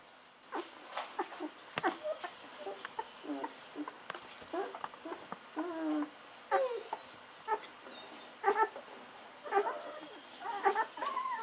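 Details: Golden Retriever puppies at two weeks, bottle-fed milk, let out wavering, warbling squeals and guinea-pig-like squeaks, some drawn out and quavering, amid constant wet suckling sounds.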